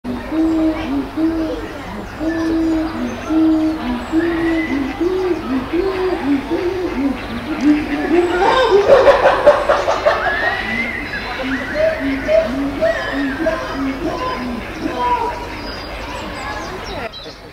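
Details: Adult female chimpanzee at Chester Zoo charging and screaming at an 18-year-old dominant male on chimp island. A steady series of low hoots climbs into loud, shrill screams midway, then the hooting resumes and fades.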